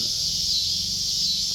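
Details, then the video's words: A dense, shrill, unbroken buzz of cicadas fills a backyard where kittens play. The drone stays loud and even from start to finish, with a slight wavering shimmer and nothing else clearly heard. "Cicadas singing to the kittens in backyard"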